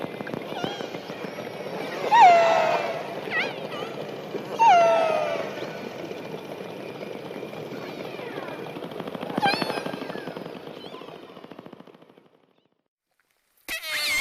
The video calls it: Discover the Mesmerizing Sounds of Orcas The Killer Whales